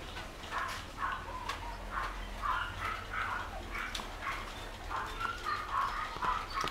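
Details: Pure white Shih Tzu puppies, 13 days old, whimper and squeak in short, repeated high-pitched cries.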